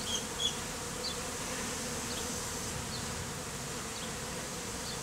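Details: Mostly Africanized honey bees clustered as a living beard on a man, taken from a statue hive; continuous even buzzing hum throughout, with a few faint high chirps at the start.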